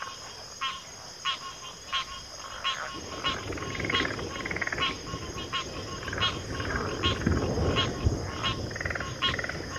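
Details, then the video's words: Frogs calling in short pulsed bursts, about one every half to three-quarters of a second, over a low rumbling background that thickens after the first few seconds. "FROGS - Pig Frogs, Water Frogs, Backwater Chorus, & Frog Chorus"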